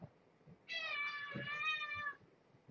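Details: Domestic cat at bedtime among a mother and her sleepy kittens in an indoor kitten room: a single long, drawn-out meow of about one and a half seconds, steady in pitch and easing off at the end, with soft bumps around it.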